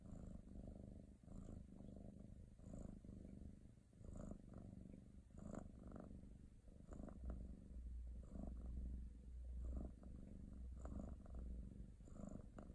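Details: Cat purring happily and loudly, a deep throbbing rumble rising and falling in a steady breathing rhythm about every second and a half, continuous across the whole stretch.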